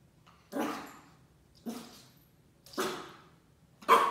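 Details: A young Shiba Inu puppy in its first week at a new home, meeting a paper roll for the first time, gives four brief, sharp barks about a second apart indoors in a small room, each starting abruptly and fading quickly.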